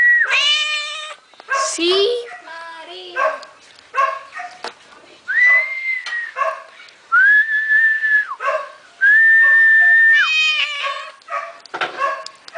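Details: Domestic cat answering its owner's whistling with a string of short, wavering meows, heard between flat whistled notes while a man talks in the background.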